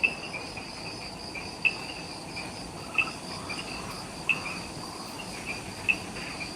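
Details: Evening insects in the Ishigaki Island jungle, Okinawa, Japan, just after sunset; a dense high buzz carries single sharp chirps about every 1.3 seconds, with faint lower calls beneath.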